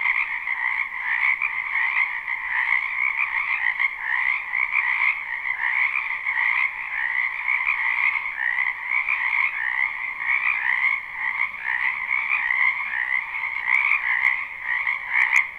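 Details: Spring wetland frog chorus recorded live beside a house: countless overlapping croaks merge into a steady, throbbing double-toned trill that swells and dips slightly but never pauses. No other animals or people heard.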